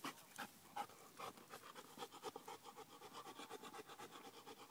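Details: Marley, a male bullmastiff x bull terrier, breathes hard after a one-mile run on a hot day; hoarse rhythmic pants, loose at first, settle into a steady beat.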